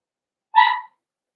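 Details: Four-week-old Cavalier King Charles Spaniel puppies in their home puppy pen, meeting other dogs and trying puppy mash: one short, clear, high yelping whimper of about a third of a second, steady in pitch and ringing with overtones, then silence.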